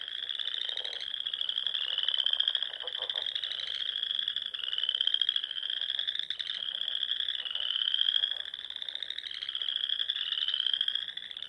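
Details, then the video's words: Frogs chorusing in spring at dusk among the Sandhills ponds of Nebraska, a dense high trilling band with rising pulsed trills repeating about every two seconds, overlapping callers, fainter lower clicking notes beneath. "RELAXING SOUNDS OF FROGS"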